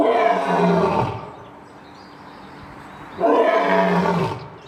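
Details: Lion giving two long, rough, full-throated roars, each lasting about a second, separated by a pause with low background hiss.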